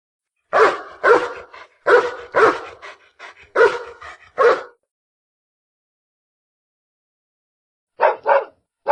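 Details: Dog barking in quick bursts: about nine sharp barks in the first five seconds, some doubled, then silence and three more barks near the end; clean, no background sound.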